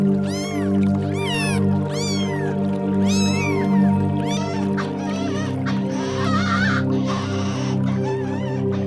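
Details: Domestic cat giving a run of short arched meows, several in quick succession over the first four seconds, then quieter mewing, all set against steady background music.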